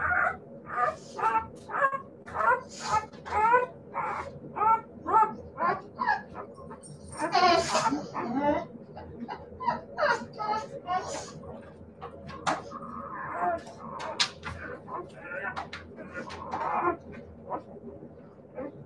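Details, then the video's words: Siberian Husky puppies in a long series of quick, sharp yips at a fairly even pace, broken by a louder, rough cry midway, then looser whining and scattered yelps over a quiet hum. "siberian husky puppies"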